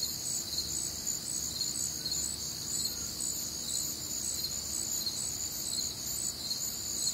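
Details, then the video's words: Nocturnal crickets calling through a warm, humid summer night in the Midwest: a steady wall of shrill chirping at several high pitches, pulses blending into a continuous shimmer, with soft low background hum. "Night Time Cricket Sounds"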